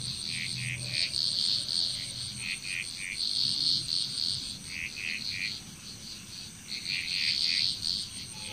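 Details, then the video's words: Frog chorus recorded in Bali, Indonesia: repeated bouts of rapid chattering croaks, swelling and fading over several seconds, alongside continuous high insect whine and a brief low hum. "Frog Chrous"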